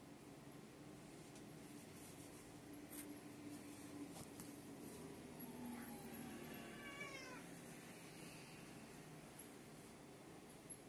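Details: Black cat Little Black and tabby cat Acai squaring off in a fight, filmed 2020-12-30; a short rising-falling yowl with ridged harmonics near the seven-second mark over a steady background hum and scattered clicks.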